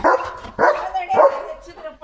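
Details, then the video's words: Three throaty, ringing barks about half a second apart from Leo, a German Shepherd, during his lively morning romp in the yard, with a man's voice close by. "Leo The German Shepherd ची भयंकर सुरुवात 🐾 | सकाळची धमाल भुंकत पळत एंट्री!"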